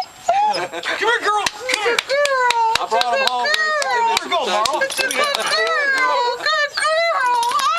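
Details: Emotional female dog greeting family arriving home: a continuous run of sing-song whines and howl-like moans, pitch sliding up and down, with short yelping breaks and sharp clicks scattered through.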